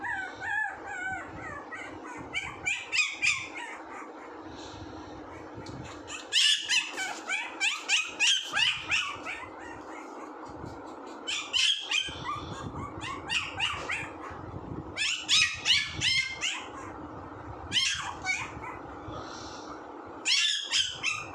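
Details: Puppy whines and squeaky yelps in repeated bursts, some calls sliding up and down in pitch, with short quieter pauses between the noisy clusters.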